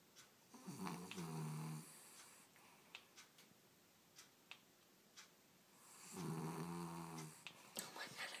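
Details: Loud snoring from Bellmont, a dog asleep indoors: two long raspy snores with low harmonic bands, near one second and again near six seconds, separated by faint clicks and quiet room noise.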